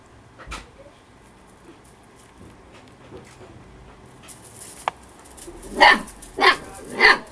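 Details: Storm, a female Husky puppy eight weeks old, overly playful and having fun: after quiet rustling, three short, sharp yappy barks burst out near the end, about half a second apart.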